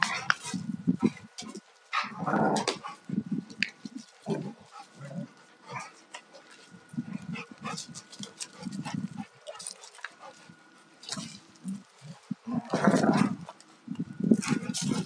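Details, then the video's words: A pair of Alaskan Malamutes, male aged two and female aged four and a half, wrestling in rough play; repeated short low growls and grumbles with brief gaps, overlaid by scrabbling and clicking sounds. "Malamute fight-play"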